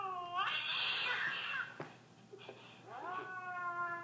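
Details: Siamese cat indoors in a small room, reacting to a clip of an affectionate Siamese cat: a loud, drawn-out, wavering meow that rises then falls, followed after a pause by a second long, descending meow.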